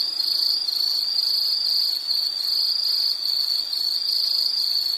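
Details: Loud, shrill insect trill, nearly continuous and high-pitched, with brief dips in loudness roughly every second.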